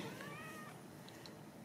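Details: Ragdoll kittens raised in a home cattery in central Kansas without cages. A faint, thin, high kitten mew slides gently for about half a second. A person talks quietly nearby in an indoor room.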